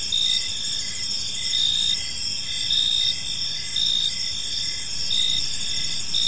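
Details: Crickets chirping on a calm evening in a park: steady high-pitched trilling bands with pulses swelling roughly once a second, a layered insect chorus over faint low background noise.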